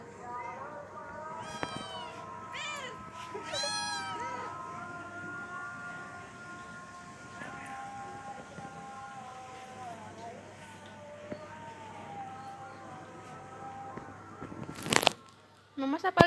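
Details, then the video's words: Village cats and kittens calling indoors: a burst of high, wavering kitten meows early on, then fainter drawn-out mewing over a constant hum, a loud clatter near the end and a human voice. "funny cats and kittens meowing sound effects | tingkah kucing kampung lucu"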